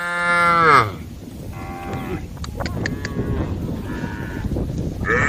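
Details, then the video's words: A cow of a herd on the road calling the herd: a short moo that drops in pitch at the start, then low rumbling noise with faint distant lowing and a few clicks. "herd of cows on the road the sound of cows calling the herd"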